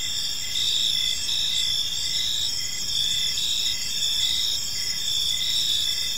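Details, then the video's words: Many crickets calling together in a park at dusk: a bright, unbroken high trill with regular chirping pulses woven through it, steady volume throughout. "Cricket Sounds in a Peaceful Park"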